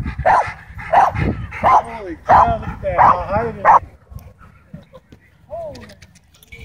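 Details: Excited dog at a dog park chasing a DJI Mavic 2 drone, giving six loud, evenly spaced barks roughly every two-thirds of a second, then quieter yelps as it settles, with outdoor background noise.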